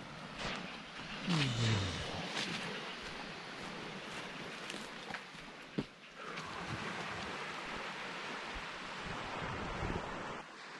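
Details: Steady wind and surf noise fill the recording, broken by a few knocks and a short descending engine-like sweep. No animal voice stands out.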